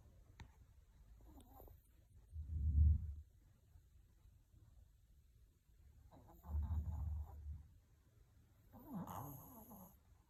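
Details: Maltese dog asleep and snoring: deep, low rumbling snores roughly every four seconds, each swelling and fading, with a higher nasal wheeze on the last breath; otherwise a quiet indoor setting.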